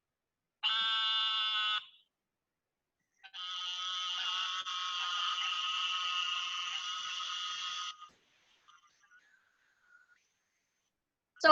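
An Eastern narrow-mouthed toad gives long, nasal, buzzing bleats, much like a sheep, loud for so small a frog.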